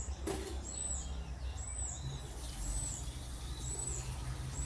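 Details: Baby squirrel, found crying by a roadside without its mother, gives thin, very high chirps repeated about once a second, each a short slurred note, over a steady low rumble of traffic.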